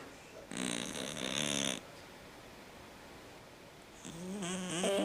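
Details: Domestic cat snoring very loudly, breathing noisily because of a condition he had as a newborn: two long, rough, buzzy breaths over a second long, separated by a quiet pause, the second rising in pitch.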